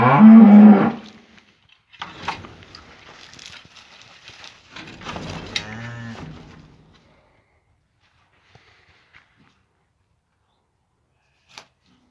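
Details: Farm cattle with a just-born calf taking its first steps: one loud, short moo opens, then scattered rustling and softer bovine sounds with a brief low groan, before the recording falls quiet apart from a few faint clicks.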